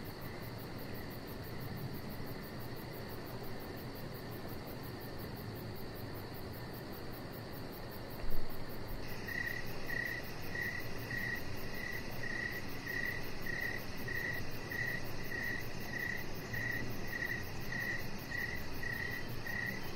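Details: Crickets in the evening near a deck where a chihuahua puppy rests; only a hissy wash at first, then after a sharp thump midway, high chirps start repeating about twice a second to the end.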